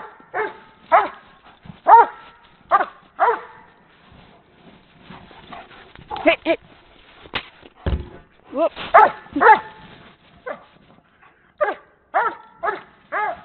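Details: Doberman from a Canadian breeding program at play with a horse ball: clusters of quick resonant barks broken by scuffling and knocking noises, with one loud thud midway and a final run of four barks.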